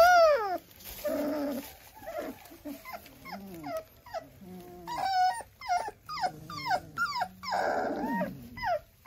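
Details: German Shorthaired Pointer puppies having their nails trimmed: a run of high, sharply falling whines and yelps, some stretched and wavering, in quick overlapping bursts, with a longer, broader cry near the end.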